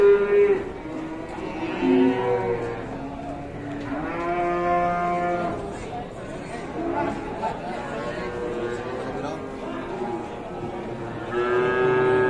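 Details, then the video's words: Fierce cattle lowing in loud, drawn-out moos with rich harmonics, several separate calls spread over about twelve seconds, with human voices and background music faintly mixed in. "SAPI GALAK"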